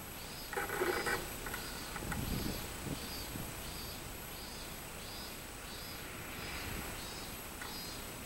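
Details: Robust cicada singing on 24 July 2016: a high, buzzy pulsed phrase repeated steadily about every half to three-quarter second. Brief lower-pitched bursts and rumbling background noise early on.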